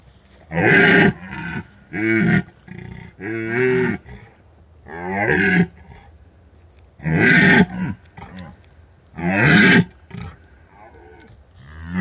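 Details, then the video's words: A red deer in the mountains of Bucovina at the peak of the rut calls at night, recorded by an unattended drop rig, giving a series of deep, harsh rutting roars, each lasting about a second. "The scary sounds of red deer"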